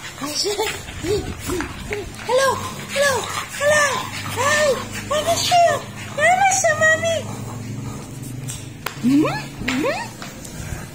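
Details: A French Bulldog playing with its owner makes a string of arched, whining yowls that swoop up and down like excited talking, with a person's voice and a couple of sharper rising squeals near the end.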